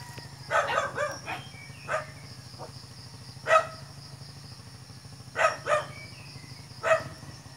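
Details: A dog barks in short, scattered bursts as a cat listens nearby: a cluster of quick barks at the start, then single sharp barks spaced a second or more apart, with a constant low droning hum underneath.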